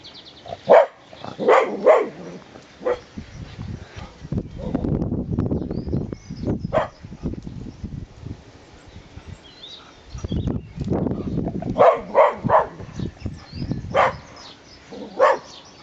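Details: Dog barking from its house garden at people walking by. Sharp barks come in quick clusters at the start, around seven seconds and between twelve and fifteen seconds. Stretches of lower, muffled noise or voices fill the gaps.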